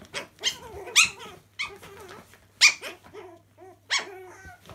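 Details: Indoors in a laundry, Chihuahua puppies at play let out sharp high barks and yelps roughly every second, mixed with short wavering whines and rough growly squeaks.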